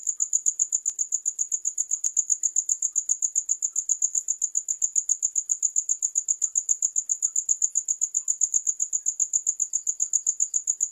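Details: Crickets keep up a constant, high-pitched pulsing trill, each pulse crisp and evenly spaced, about eight per second. The recording is used as a rat-repelling sound, with no other noise present.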